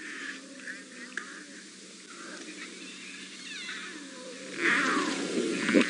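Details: Lion cubs of the Styx Pride give thin, high squeaks and chirps, begging their mother for milk, on a morning of 23 April 2017.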